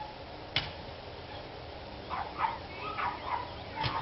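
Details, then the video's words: Dogs barking on 29 March 2013, rather distant: after a sharp knock, a loose series of four or five short, ringing barks spaced under a second apart rises from steady low hiss. "Barking Dogs"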